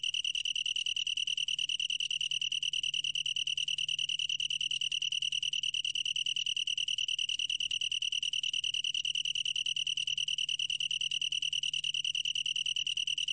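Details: Long-tailed tree cricket giving a sustained, even trill: a clear, piercing tone pulsing rapidly and regularly without pause or change in pitch, over a quiet low hum.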